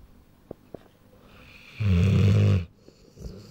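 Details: Sleeping Rottweiler, a little over one year old, indoors: faint clicks, then one deep, rough snore of about a second, followed by quiet breathing.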